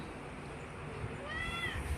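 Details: Pregnant Persian cat begging for food gives a brief, faint, level meow in the final half second, against low background hum, as her owner keeps asking what she wants.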